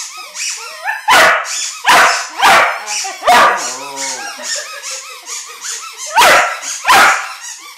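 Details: Young dog reacting to a squeaky ball with a string of sharp barks and high yips, broken by a brief wobbling howl-like tone near the middle.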